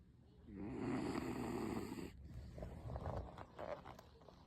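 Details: A 16-year-old female beagle snores loudly while sleeping contentedly, a long rough rumbling breath fading into softer snuffles; owner suspects she has snored like this since she was young.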